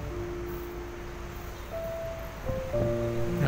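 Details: Steady background music with sustained tones over wind-like noise, no animal call audible.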